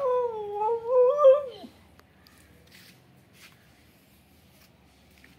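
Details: Kittu, a female Siberian Husky, goes out of control with excitement on hearing talk of going out: one drawn-out, wavering, howl-like whine that rises and falls for under two seconds, then near silence with faint background noises.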